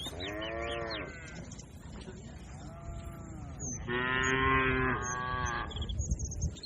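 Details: A herd of hundreds of cattle grazing calmly with a herder on green pasture, lowing back and forth; several overlapping moos, one long and loud near the end, with faint bird twitters above.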